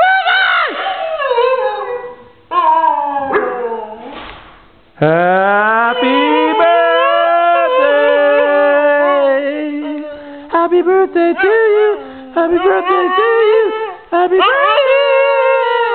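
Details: Pet Saluki dog singing along to Happy Birthday, giving long wavering howls that slide up and down, sustained for several seconds with short breaks, over the tune being played.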